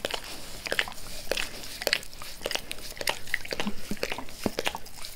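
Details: Max the dog licking his owner's face at close range indoors: sticky, wet tongue smacks and soft slurps, spaced irregularly over a few seconds, with no talking.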